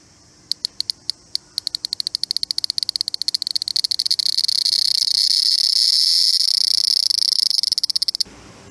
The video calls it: Unique sound produced by Japanese Cicada(日本の蝉によって生成されるユニークなサウンド)